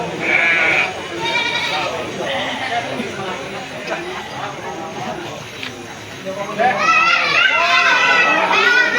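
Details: Sheep at the Jigjeg livestock market in Bumijawa, Tegal regency, Indonesia, on Wednesday 10 July 2024. Steady crowd chatter comes first, then a burst of wavering, high bleats near the end, several overlapping.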